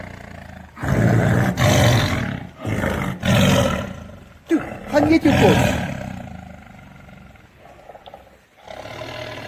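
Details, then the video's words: Tiger roaring in a forest: a run of rough, deep, broadband roars in bursts about a second long between short pauses, then a few sharper growling pulses before the sound fades to quiet. "Tiger Roar sound in forest"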